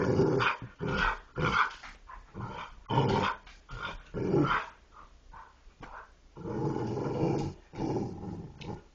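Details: Dogs making talking-style vocalizations: rough, growly grumbles in short bursts, several per second at first, then a longer low rumbling stretch near the end.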